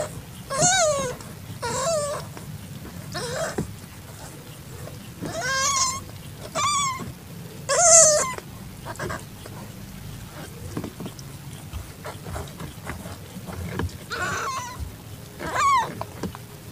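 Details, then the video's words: Calitabby cat in heat accepting a found calico kitten in a garage, evening of 8 September 2021: a run of short, high, harmonic mews spaced about one to two seconds apart, some rising then falling, over a low background hum. "Calitabby Cat In Heat Accepts Calico Kitten"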